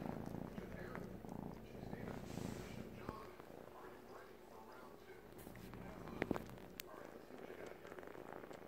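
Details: Three-month-old male Siamese kitten purring while sucking on a blanket as if it were his mother; a low, steady rumbling purr runs throughout, broken by soft clicking and rustling, with a sharper knock near the end.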